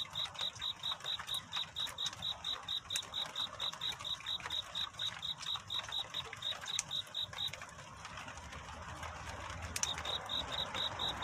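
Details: A cricket's nighttime love song toward dawn: rhythmic high chirps roughly two per second, stopping for about two seconds and starting again, with scattered clicks and a hissing background.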